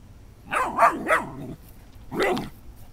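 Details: Dobermann puppy barking at a beach ball it is seeing for the first time: three quick sharp barks in a row, then a pause and one more bark, indoors with little background noise.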